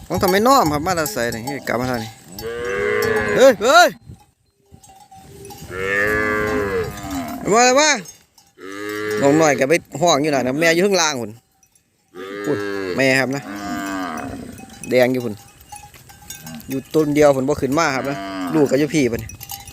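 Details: Calves cut off from their mothers call in repeated bouts, each a cluster of loud, quavering moos from several animals, separated by brief quiet gaps over about twenty seconds.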